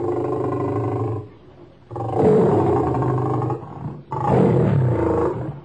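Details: Lion giving deep, rumbling roars in three long bursts separated by short gaps, strong low harmonics, no other sounds.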